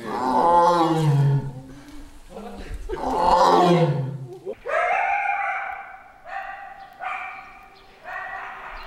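Deep, rough roaring vocalizations give way to a series of higher, drawn-out nasal calls.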